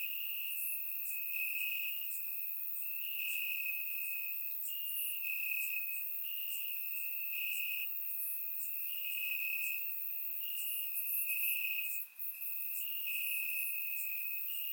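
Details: On a warm summer night in Bulgaria, crickets in the grass keep up a dense shrill trill, pulsing in segments of one to two seconds, with a chorus of fainter higher insect chirps and a brief dip near the end.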